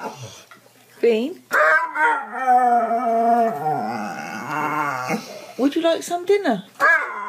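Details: Pet dog 'talking': a long, wavering, moaning howl held for several seconds with rich harmonics, framed by shorter rising yelps and a person's voice.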